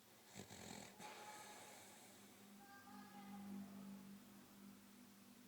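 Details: Sleeping dog snoring indoors: a low, droning nasal tone with faint whistly overtones swells through the middle seconds and then eases off, preceded by a couple of sharp knocks at the start.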